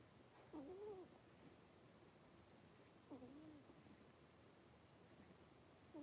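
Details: A litter of five blenheim Cavalier King Charles Spaniel puppies, three weeks old, at play in a puppy pen indoors; three thin whines roughly every two and a half seconds, each dipping then rising and falling, with faint room noise behind.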